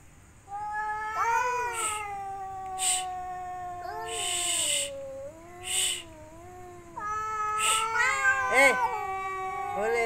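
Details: Cats seeking a mate in mating season, one female with three males: loud, long caterwauling yowls with sliding pitch, broken by short hissing bursts between calls, continuing through ten seconds.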